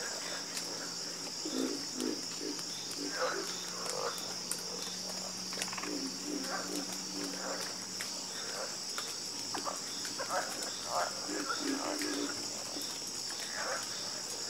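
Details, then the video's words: Chorus of frogs croaking, with short low pulsed croaks from several callers scattered across the clip over a steady high insect-like hiss and faint buzzing. "Calming Sound Of Harmonious Frog Croaking"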